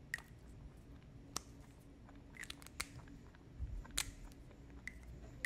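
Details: A lionhead-Dutch mixed-breed rabbit chews close up, with sharp crunching clicks and soft munching in a quiet room.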